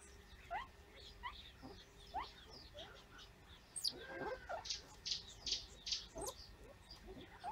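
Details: A baby banded mongoose, described as paralysed with a suspected viral infection, gives short, rising squeaks repeated irregularly, with harsher hissy bursts later, one week into the illness, on 28 November 2015.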